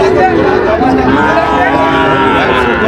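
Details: Sahiwal and Friesian bull calves at a cattle market where a Munshiganj farmer is buying, 24 July 2025: several overlapping low harmonic moos and bellows blend with steady crowd chatter and bargaining voices throughout.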